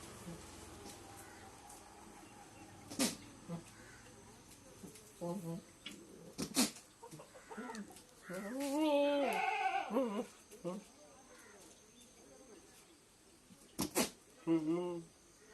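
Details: Goat calling with a run of wavering, harmonic bleats around the middle, one long quavering bleat rising and falling, then short bleats near the end; sharp clicks and knocks scattered throughout.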